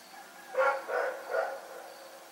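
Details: Rex, a dog, barking in the night: a quick run of three hoarse, mid-pitched barks about half a second apart, then quiet background.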